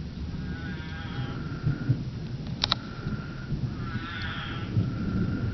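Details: Arizona spadefoot toads calling during their mating ritual after heavy monsoon rain, with drawn-out bleating calls that rise then hold, set against loud low-frequency storm rumble and a brief sharp knock.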